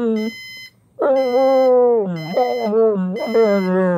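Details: Pit bull named Jäger vocalising as an alarm clock goes off: long, sustained tonal howls with a rich stack of harmonics, the pitch sliding slightly, while the alarm's evenly spaced high beeps sound alongside.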